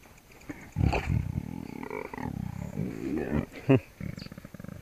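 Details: A lion cub biting a person's knee gives a raspy, low, growling roar of about three seconds, then a sharp higher squeal near the end, with brief human speech mixed in.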